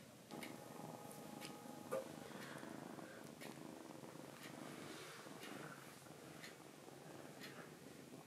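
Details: Kuromame, a foster rescue kitten, purrs indoors while hiding its paw to avoid nail clipping; a steady, low rumbling purr runs throughout, with a clock's regular ticking clicks over it.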